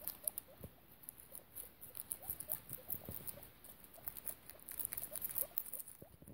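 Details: Piggie Minaj, a fostered guinea pig, with her young: faint upward-sliding squeaks in quick irregular runs, mixed with crisp ticks, rustles and low thumps.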